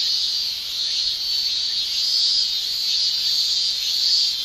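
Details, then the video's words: Japanese summer cicada chorus from males using tymbals: an intense, high whining drone, steady across the whole stretch, with soft waves of rising and falling loudness. "Japan Summer Cicada Shrilling"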